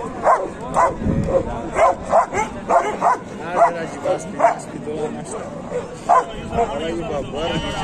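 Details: Dogs at the Kohat dog market, Pakistan, home to Pakistani bully dogs and German shepherds, bark in uneven bursts of short sharp calls, mixed with people talking close by.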